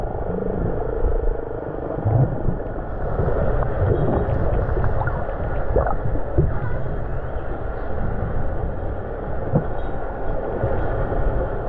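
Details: Killer whales herding herring into a baitball off Norway give short, rising squeals and whistles, recorded underwater while snorkelling, over heavy low rumbling water noise.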